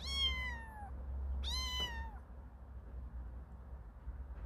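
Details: Kittens, four siblings on their second day outside the house, curious yet afraid: two clear high meows, each falling slightly in pitch and lasting under a second, about one and a half seconds apart, then quiet background hum.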